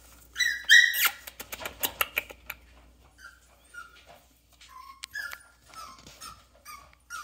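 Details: Yorkshire Terrier puppies born 24 April 2021 whimpering: a couple of sharp, high squeals first, then a string of short, falling whines repeated irregularly, some soft and some louder.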